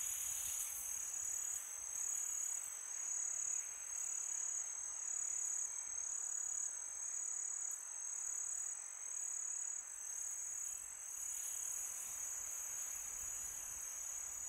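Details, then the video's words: {'text': 'Summer-night cricket chorus: a steady, bright high-pitched trill with slow swells in loudness, backed by breezy hiss.'} "Crickets sound for meditation"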